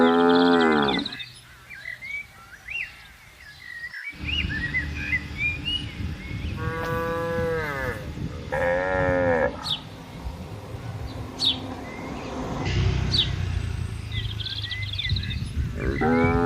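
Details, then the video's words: Cattle being driven into a farm pen moo several times, a loud call at the start, two shorter wavering moos midway and another at the end, over a constant rumbling background with bird chirps. "Moo Bunyi Suara Sapi Gembala"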